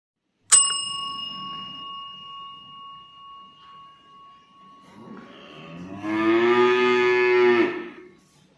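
A cow gives a loud, drawn-out moo, rich and low, after a bright bell ring fades.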